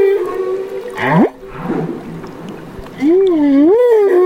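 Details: Young humpback whale, Banderas Bay, Mexico, gives a level moan, then a quick rising upsweep, a murky gurgling pause, and finally a wavering, undulating tonal call that rises and falls like a slow siren.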